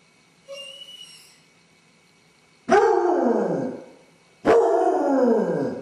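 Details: Home camera records a lone male basset hound pacing the house after his owners leave, suffering separation anxiety; a faint thin whistling note first, then two loud, falling, drawn-out howls about two seconds apart.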